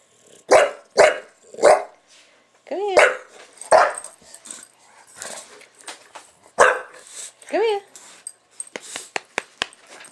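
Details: Buster the bulldog goes to town at the camera: three gruff barks in a row, a whining yelp, another bark, then a second rising whine and a scatter of faint clicks near the end.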